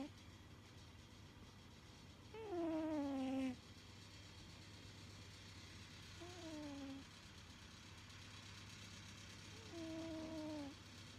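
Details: Pet cat snoring as it sleeps. Three whistling, downward-gliding tones come about every three to four seconds, the first loudest, over a continuous low background hum.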